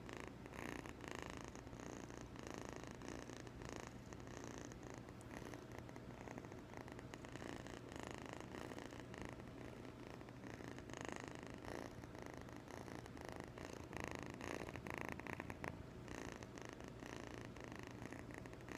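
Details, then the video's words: Domestic kitten, eight and a half weeks old, recorded indoors: a steady low continuous rumbling purr running through the whole recording, with faint room noise and a constant low hum. "New kitten purr"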